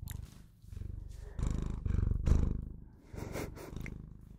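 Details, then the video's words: Purring Bengal cat, a house pet: a loud, buzzing low rumble made of rapid pulses, growing stronger in the middle and easing off in breathy cycles. "Bengal Cat Purrs On Video And Makes The Best Sounds To Put You To Sleep"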